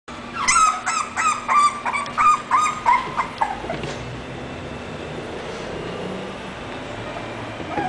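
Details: English Bulldog whimpering: a run of short, tonal, high whines repeated about every third of a second for three seconds, then fading into quiet background hiss with a faint low hum.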